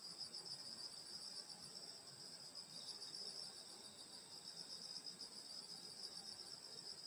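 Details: Countryside summer night with grass insects around a grandmother's house: only a continuous, even, shrill high ringing from many insects, with no other clear sounds.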